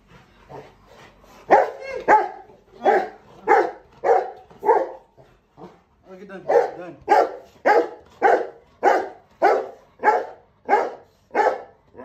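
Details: Rottweilers that waited at home greet their owner returning from the grocery store with rapid, repeated yelping barks, about two per second; one is called jealous.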